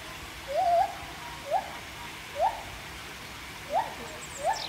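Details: At Chester Zoo in March 2024, two gibbons, one up on a post, give short rising whoops repeated every second or so, while children call back to them.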